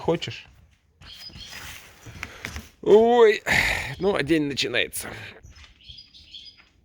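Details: Tame fox Alice in snowy weather, tempting her companion out to a field, gives quavering high whines in quick succession midway, mixed with a person talking and crunching footsteps on snow.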